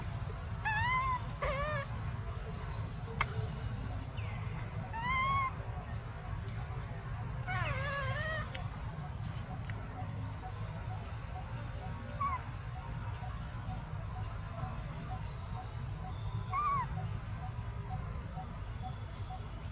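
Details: Baby monkey Briar, crying for milk, gives quavering, wavering whistled cries in a burst during the first eight seconds. Fainter short cries follow later over a steady low hum and occasional clicks.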